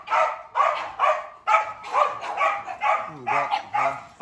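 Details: Rapid, fairly regular barking from a Dobermann at a big kennel, roughly two barks per second, with a higher yipping note slipping in near the end.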